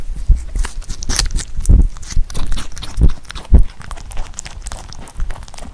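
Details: Pet rabbit eating Korean melon, close-up ASMR recording: dense crisp crunching and biting clicks, with a few louder dull thumps and steady chewing throughout.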